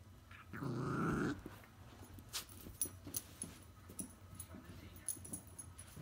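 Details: An 11-month-old female Border Terrier playing with her toy monkey lets out a single rough, rumbling growl of under a second, followed by soft scuffling, light taps and faint toy noises in a small room.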